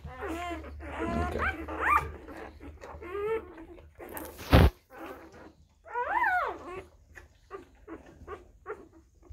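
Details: Hours-old Tibetan Mastiff puppies from a litter born April 23, 2019 whimper and squeal in high rising and falling whines, one long arched cry near the middle, with a sharp knock and soft background hum.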